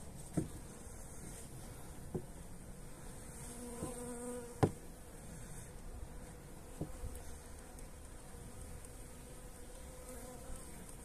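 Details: Colony of honey bees receiving energy cakes on a mild 29 January day: a continuous low hive drone with short tonal buzzes, broken by several sharp knocks and clicks from handling.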